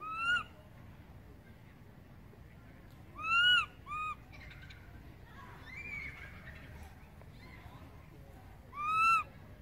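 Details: A baby monkey gives loud, clear, wavering cries in short bursts, calling for its mother after she moved far away from it.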